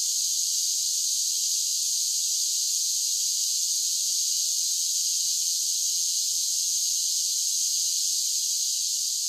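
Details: Continuous summer cicada song: a bright, sizzling wall of high-pitched buzz that never pauses or changes, with nothing else audible.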